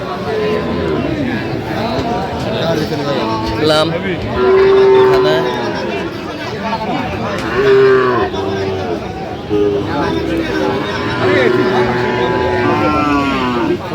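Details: Sahiwal bull at a cattle market in Dinajpur, Bangladesh, giving several drawn-out, droning moos amid steady crowd chatter and men's voices bargaining nearby.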